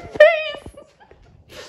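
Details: Pet cat Penelope indoors during a sleepover with another cat, Suki; one short, clear meow held steady with bright overtones, then soft thumps and a faint rustle in a quiet room.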